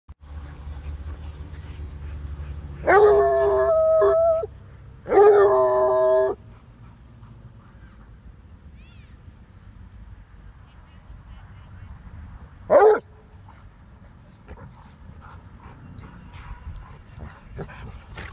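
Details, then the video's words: Basset Hound named Gus howling while playing with a Boxer named Dinky; two loud harmonic howls of about 1.5 seconds each, then a short yelp near 13 seconds, over low background rumble. "Bassett Hound (Gus) vs. Boxer Dog (Dinky) ... excellent howl"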